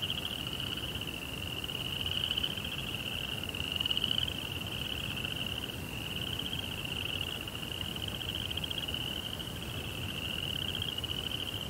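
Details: Crickets singing through the night in a tranquil Japanese rock garden by a koi pond; dense, rapid, high trilling runs steadily, with one brief louder higher chirp near four seconds and a soft low murmur behind.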